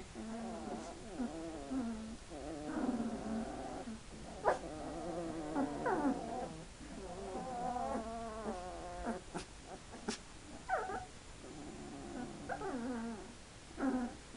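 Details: Hungarian Vizsla puppies, two weeks old, keep up a near-continuous chorus of overlapping wavering whines and squeaky yelps, several pups calling at once, with a few sharp clicks.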